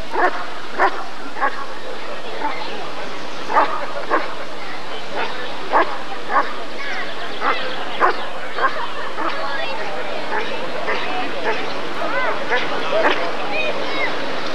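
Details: Repeated barking from a Rottweiler at the 1994 ADRK breed survey (Körung), part of the temperament test for the male Janko von der Steineiche: rapid, uneven volleys of short barks with a constant crowd and hall murmur underneath.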